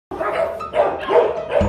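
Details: Rottweiler left a day at a kennel, excited as the owner comes to pick her up; a continuous voiced whining cry with wavering tone, rising and falling over two seconds.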